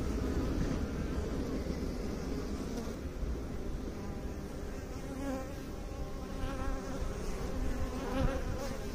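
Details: Honey bees buzzing at a beekeeping site: a softer, even droning hum with wavering overtones, and a few slightly louder pulses of buzz toward the end.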